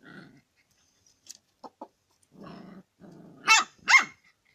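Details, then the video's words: Dog eager to eat chicken gives low, rumbling growls and a few soft clicks, then two loud, harsh barks in quick succession near the end. "when dog want eat chicken"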